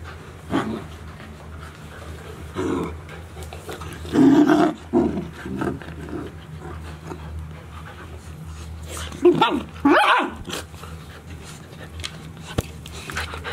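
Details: Golden Retriever puppies, 72 days old, six together in Ain village, recorded 6 July 2018: short harsh yips and growly bursts come in two clusters, near the start and again toward the end, amid panting, rustling and a low steady hum.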